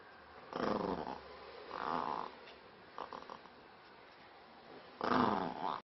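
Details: Maltese dog named Spiky, angry, growling in three short rough bursts, the first and last strongest, with a few faint grumbles between and a quiet indoor background.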